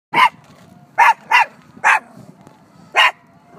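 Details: Dog barking at a statue it thought was alive: five sharp, loud barks at uneven intervals within under four seconds, with two coming close together and quiet background between them.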